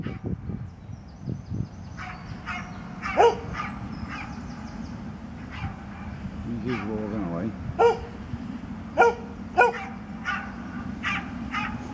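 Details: Misty, an old dog, barking in Birkenhead Park, 10 July 2013: scattered short barks, with a cluster of three loud ones late on, mixed with people talking and steady low outdoor rumble.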